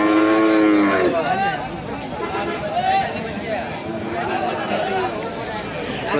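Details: Cow at a busy weekly Wednesday cattle market at Nandail Chowrasta, Bangladesh, 17 July 2025: one loud, rich, droning moo opens the recording and lasts about a second, followed by steady crowd murmur and people talking.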